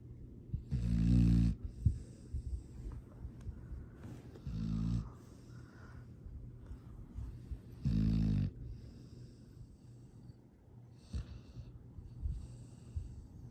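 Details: A foster rescue dog from South Texas snoring in its sleep, December 13, 2022: deep rattling snores come every three to four seconds, the loudest at the start and around eight seconds, with soft breaths in the gaps.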